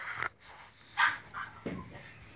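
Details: Boston Terrier named Léna giving short yelping yips on command when asked in Hungarian to say hello; two sharp bursts about half a second apart, then a lower rough sound, over a quiet room hum.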